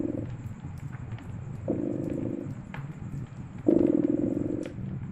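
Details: Purring cat next to a crackling fireplace during winter: three low, vibrating purr bursts, the last one loudest, with scattered crackling pops from the fire.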